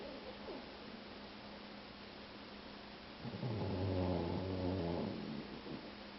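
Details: Boxer mix, a two-year-old male dog, lets out a single very loud snore, a low droning rattle lasting under two seconds, rising from a quiet room hum.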